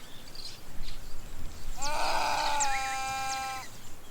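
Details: Female patas monkey in the Ugandan savanna, normally living in a group of about fifty, calling after realising she is alone; no answer comes. One drawn-out, harmonic, nasal bleating call lasting nearly two seconds, with faint bird chirps and ambient noise.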